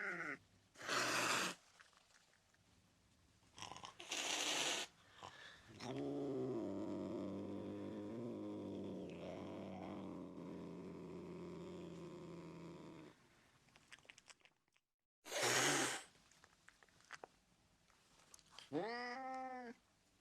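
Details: Angry domestic cat hissing: three sharp, breathy bursts of noise near the start and middle, then a long, low rumbling growl lasting several seconds. A short wavering meow-like cry comes near the end.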